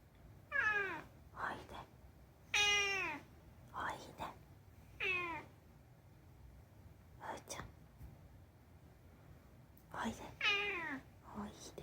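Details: A talkative rescued cat named Unagi chats in a string of about eight short, downward-sliding meows over twelve seconds, some clustered in pairs, while a person speaks softly in Japanese between them.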